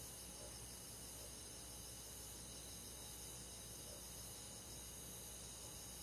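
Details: Summer-night insect chorus of crickets and forest bugs in the countryside: constant high, rapidly pulsing trills stacked at several pitches, an even shimmering wall of sound with faint low rumble beneath.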